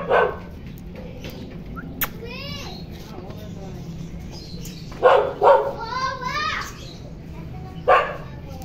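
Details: Toy poodle named Kopi, a stud dog in Quezon City, gives sharp barks at the start and near five and eight seconds. High, wavering whines rise and fall between them. Human voices are heard in the background.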